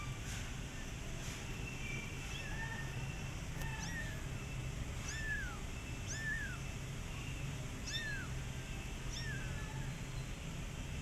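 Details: Cat meowing while a mother cat runs from her kittens: short, high, descending calls with bright overtones, about six repeated roughly once a second over a steady low rumble.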